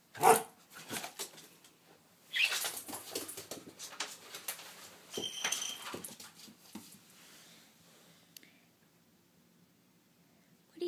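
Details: Miniature Australian Shepherd fussing at spicy banana peppers indoors, a sharp bark at the start, then a long stretch of whining and whimpering that fades to near silence.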